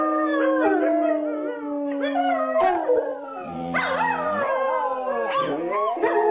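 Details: Dogs howling together: several long wavering, sliding tones overlap and rise and fall, one steady low howl running under higher quavering voices, with brief breaks and fresh howls starting near three and four seconds.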